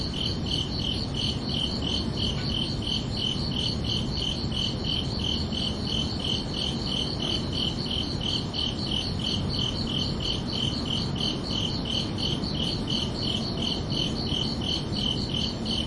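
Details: Under a night sky, crickets keep up unbroken, rhythmic chirping: shrill pulses near three per second for the whole stretch, some forty-five in all, layered on continuous low-pitched ambient noise.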